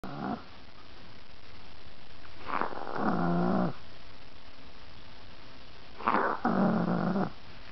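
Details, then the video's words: A fat pet chihuahua falling asleep indoors, snoring and making sleepy noises: three rough, rasping snore bursts, each about a second long, spaced roughly three seconds apart with quiet breathing between. "the snoring chihuahua"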